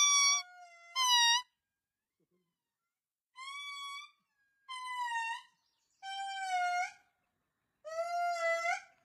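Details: A lemur, possibly an indri, at the Palmarium reserve on Ankanin'ny Nofy gives loud, wailing, tonal calls, each held for about a second, in a short series.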